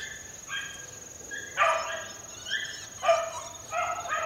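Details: Young four-month-old Beagle pups working outdoors in the wild: four short, harmonic yelping barks at irregular intervals of roughly one to one and a half seconds, over a steady high-pitched whine.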